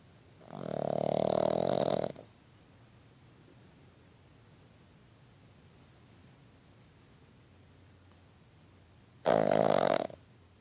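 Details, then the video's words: Boston Terrier puppy snoring while asleep: two short, buzzy, rattling snores, each lasting about one to one and a half seconds, separated by roughly seven seconds of near silence in a quiet room. "Boston Terrier puppy snores while he sleeps"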